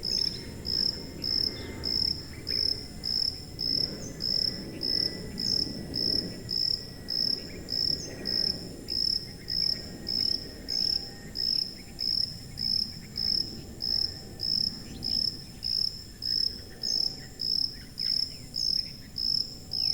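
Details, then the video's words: High-pitched cricket chirps fall in a relentless even pulse, around thirty over twenty seconds. A faint low hum and distant rustle lie under them. Presented as high-frequency cricket sound for masking tinnitus. "고주파_귀뚜라미3 / High-Frequency_Cricket3"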